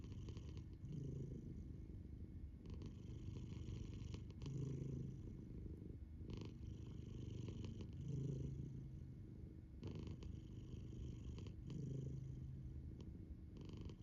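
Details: Pet cat snoring while sleeping with her eyes open; a steady low rumbling purr-like drone with soft breathing surges roughly every three to four seconds, quiet indoor room.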